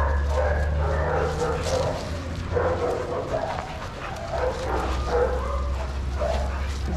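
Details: Shelter dogs playing together in a yard at Pima Animal Care Center, Arizona, watched by handlers; rough, broadband barks and yips come in irregular bursts over a steady low hum, with faint human voices mixed in.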